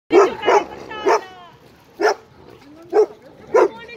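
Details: Dogs playing at a dog park, an 11-month-old Irish Wolfhound and an Italian Mastiff, give loud, harmonic barks. There are six sharp woofs in four seconds, some in quick pairs, with a brief quiet gap in the middle.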